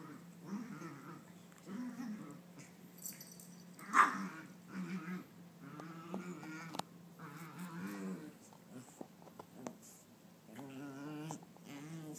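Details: Nine-month-old female Maltese dog frantically chasing her tail after being bathed; a continuous run of wavering, whiny growls rises and falls in pitch throughout, with a few knocks and thumps indoors.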